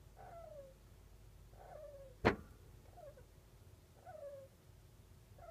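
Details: Sleeping golden hamster of the long-haired kinkuma type snoring. Soft whistled squeaks fall in pitch and come about every one and a half seconds, with a single sharp click midway.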